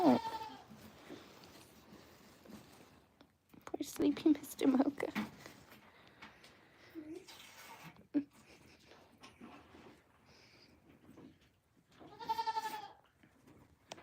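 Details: Farm goats at The Willful Goat Farm & Home bleating in three separate bursts, each a short, wobbly, nasal cry, with quiet human voices in the pauses between.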